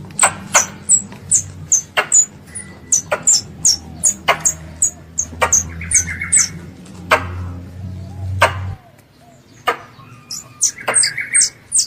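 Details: Squirrel, a pest animal, calling for its mother: thin high-pitched chirps in loose, uneven bursts, some doubled, mixed with sharp clicks and a few softer mid-pitched notes; a low droning hum runs through the first nine seconds, then stops.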